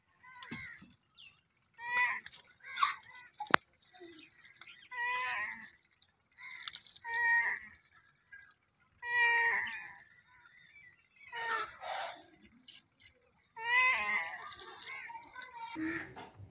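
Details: Compilation of cute cats and kittens meowing: a string of short, high, harmonic meows and mews, some rising and falling, arriving in bursts every second or two with brief pauses, plus faint voices between calls.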